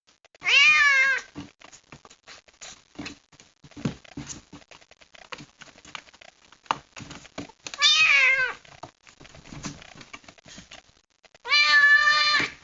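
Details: Distressed kitten rescued from the rain and shut in a box it dislikes, giving three loud, plaintive, rising-then-falling meows several seconds apart, with scrabbling claws and cardboard rustling filling the gaps.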